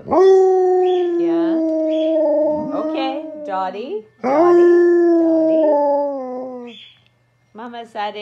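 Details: Trio of Alaskan Malamutes letting off steam in a howling chorus; long sustained mid-pitched howls that dip and waver, interwoven with higher yodelling cries, two main swells split by a brief silence, then short yelps.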